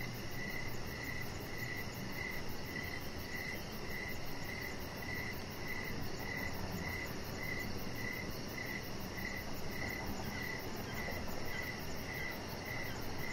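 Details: Evening cricket sounds from a deck where a chihuahua puppy lies; a strong, rhythmic chirp repeats roughly twice per second through the whole stretch, backed by steady low noise and a faint high pulsed buzz.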